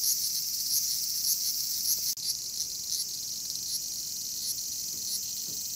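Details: Cryptotympana facialis, the bear cicada, giving a sustained shrill electric buzz that barely varies, overlaid with soft regular pulsing, one brief click interrupting midway.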